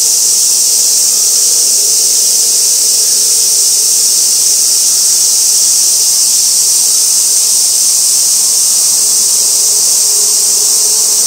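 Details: Cicada chorus recorded 2 August 2024 at Gaikotsu-yama, Japan, beside an old sawtooth oak, fixed camera: an unbroken, even, shrill sizzling drone at constant loudness throughout.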